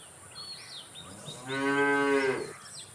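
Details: Single moderate moo from a cow, about a second long and strongly harmonic, with faint bird chirps and a thin high steady hum behind it.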